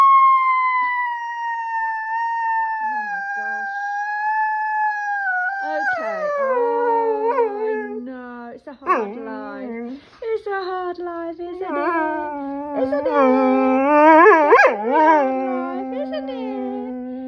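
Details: Rescue dog singing indoors with drawn-out howls: a long steady tone gliding slowly downward, then wavering, yodelling howls with quick pitch bends and short breaks, lasting over ten seconds.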